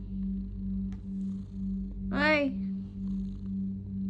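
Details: Simba the pet cat keeps up a continuous low purr pulsing in breath-length waves, interrupted midway by one short harmonic call, with Tagalog speech addressed to the cat around it.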